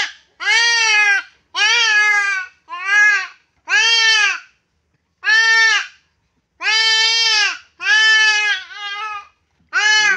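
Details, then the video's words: Goat bleating repeatedly while being castrated: about nine loud, nasal, arched bleats, each under a second, coming roughly once a second with brief gaps and one longer pause midway. "kapon ng kambing"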